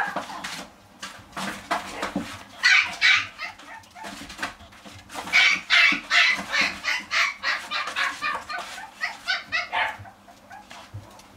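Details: Dogs at a pet shop: high, rapid yaps in bursts of about two to three per second, rising and falling in loudness, over a steady low hum.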